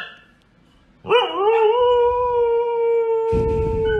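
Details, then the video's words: Siberian Husky howling while talking with its owner: one long, steady, even-pitched howl held for about three seconds. A brief burst of noise comes near the end. "funny husky videos talking owner"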